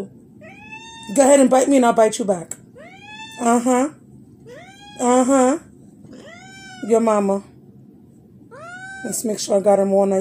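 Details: Domestic cat calling indoors, a run of about five drawn-out, rising-then-falling meows spaced a second or two apart, each rich in overtones and some ending in a short upward chirp, over a low background murmur with human speech.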